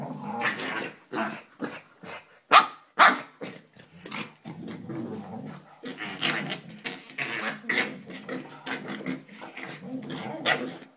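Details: Two Staffordshire Bull Terrier puppies play together, yipping, growling and squealing in short irregular bursts.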